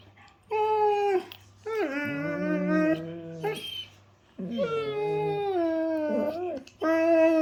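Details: A German Shepherd at playtime makes drawn-out, harmonic howl-like moans that bend up and down, broken by brief pauses, in several long phrases sliding into lower grumbling tones over a faint hum.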